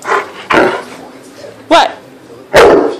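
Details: Karl, a Great Dane and Akita mix dog, barks in agitation after not seeing his best friend tonight: three or four loud, sharp barks spaced about a second apart, with a person's voice telling him to stop.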